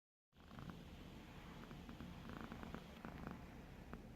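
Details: Bogart, a pet cat, snoring: a steady low rumbling drone after a brief silent start, with soft crackly breathy flutters scattered through the sound and no other clear noises.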